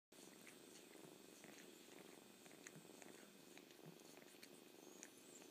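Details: Kitten purring steadily at close range, a continuous low rumbling texture with scattered soft wet clicks and slurping sounds over the top.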